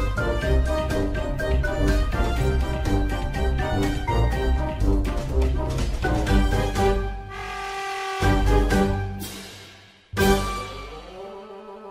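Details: Loud orchestral music with drum beats that fades and cuts off, then resumes with a sharp hit; no animal voice is audible.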